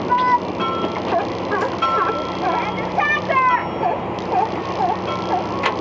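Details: California sea lions, seen on a whale-watching trip, call over one another in short harmonic barks and bleats against a steady rush of background noise.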